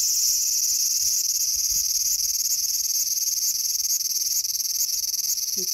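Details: Cicada calling in a small garden on August 5, 2020: a loud, steady, high-pitched shrill drone that runs unbroken through the whole stretch, with faint low rustling beneath.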